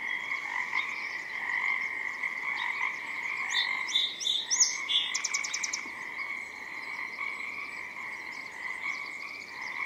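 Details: Spring morning chorus of Pacific tree frogs by a forest river, a continuous droning mass of croaks, while a song sparrow perched close by breaks in midway with high twittering trills and chips.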